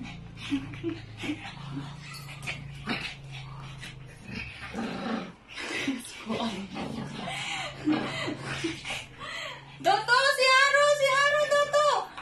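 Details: Shih Tzu whining while begging to be cuddled, indoors; after talking and background music, a loud run of high, wavering whines with rising and falling pitch fills the last two seconds.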